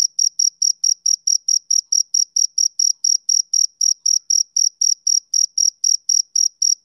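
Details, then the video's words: Male cricket chirping steadily, about 24 short high-pitched chirps in seven seconds, each a clean ringing pulse, evenly spaced with no other sounds behind them. "Cricket Chirping Sound Effect"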